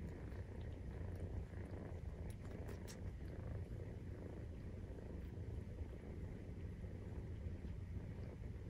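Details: Maine Coon cats purring during nursing, kittens 43 days old; a steady, low rumbling purr fills the whole stretch, continuous without breaks, with a few faint clicks and rustles on top.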